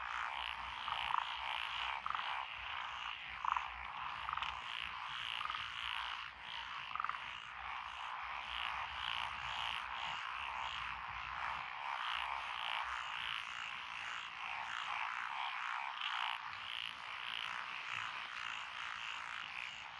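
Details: Japanese frog chorus in lotus rice paddies, Echizen, Fukui, 12 June 2021, from tree frogs, pond frogs, wrinkled frogs and green tree frogs: unbroken layered croaking and trilling, with occasional louder single notes standing out and a high faint buzz above.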